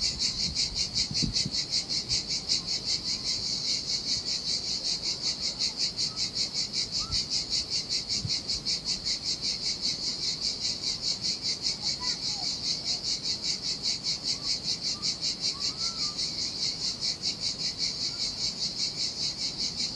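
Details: Cicadas in the heat beside turquoise Sardinian waters and a desolate beach hold a continuous high buzzing chorus, pulsing evenly for twenty seconds, with low surf and a few faint brief chirps.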